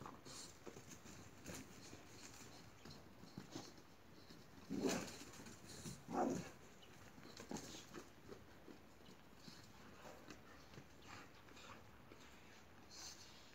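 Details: Boxer dogs at play give two loud, harsh bark bursts about a second and a half apart. Softer scuffling and rustling noise runs through the rest of the recording.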